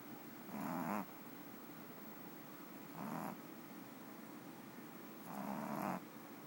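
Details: Domestic cat snoring while napping: three soft breathy rasps, each about half a second long, spaced roughly two and a half seconds apart, with quiet pauses between and no other sounds.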